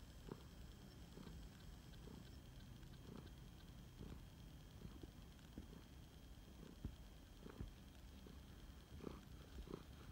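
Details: Low, steady purring from Phoenix, a flame point Siamese cat rescued three years earlier, during a snuggle session; soft throbbing pulses recur about every second with a continuous rumble beneath, quiet room otherwise.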